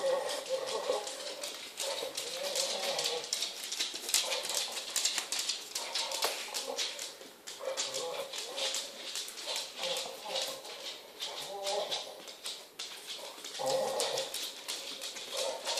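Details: A female Pit Bull makes odd, muffled, moaning grumbles that rise and fall in uneven bursts while holding a ball in her mouth.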